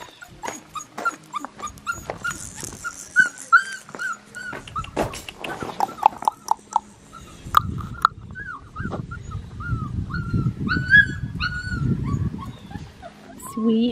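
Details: Black tri female Australian Shepherd puppy from an Oklahoma breeder, giving repeated high, thin whimpers and squeaks, some rising then falling, mixed with tapping clicks, shuffling and a low rumbling background.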